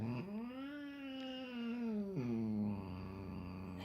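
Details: Pet cat meeting his little brother for the first time, uttering a long low moaning yowl that swells, then drops into a lower drawn-out wavering moan, in a quiet room.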